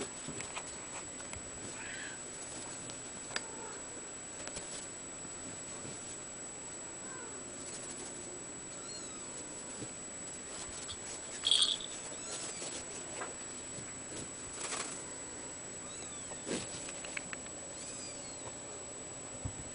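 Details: Blue point mitted male Ragdoll kitten, five weeks old, at a cattery; faint high thin meows come now and then, a few short rising-falling cries around the middle and near the end over a steady background hiss.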